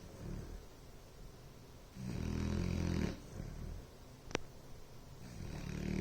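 Low, rattling snores rise and fall with a sleeping Bloodhound's breathing, the longest lasting about a second. A brief sharp click or snort cuts in between the breaths.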